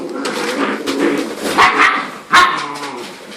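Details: Nine seven-week-old puppies, 12 to 14 lbs, playing with spunk and sass with each other indoors; overlapping short yips and growly barks, with a sharp loud yelp near the end and a faint human voice.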